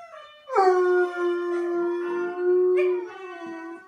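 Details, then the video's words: Pet bloodhound singing in a sustained howl: a sudden loud onset after a quiet lead-in, then a long even tone lasting about two and a half seconds, a brief renewed push near the end, and a trailing fade. "bloodhound sings"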